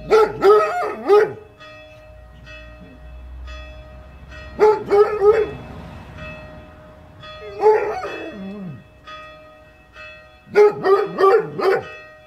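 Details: A Basset Hound, woken by ringing church bells, bays in bursts of mournful, wavering howls while the bells ring steadily behind.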